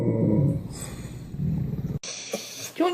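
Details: Dog making a funny, weird noise: a low, rough rumbling growl for about two seconds, pulsing in strength, then an abrupt cut to a brief higher-pitched whine-like sound.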